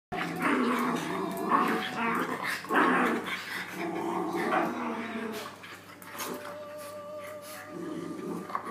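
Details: Dogs at play, growling in a continuous rough, rumbling stream with layered tones, loudest in the first half and fading to softer, steadier growls toward the end.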